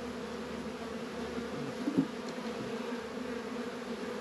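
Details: Steady droning of honey bees at a backyard apiary in northern Kentucky during an unusually warm 72-degree February day; continuous layered hum, with a brief louder knock or bump just before two seconds.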